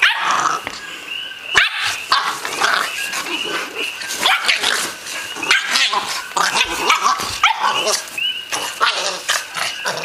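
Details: An 8-week-old American Bulldog puppy roughhousing with an older 1-year-old dog. Dense, overlapping yaps, growly barks and scuffling go on throughout without a pause.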